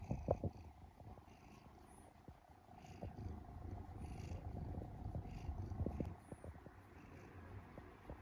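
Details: Sleeping pet cat in Japan, one of three rescued sibling cats, snoring and purring while kneading the air; low continuous rumbling purr swelling and fading in loudness, with a steady background hum and faint higher clicks.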